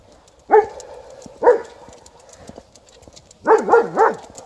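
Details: White Swiss Shepherd Liza barks before catching sight of an Alaskan Malamute: two single resonant barks about a second apart, a pause, then a rapid run of three swooping barks.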